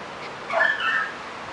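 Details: A 5.5-week-old German Shepherd puppy in the garden lets out a single drawn-out whine, high and slightly wavering, lasting under a second against quiet background.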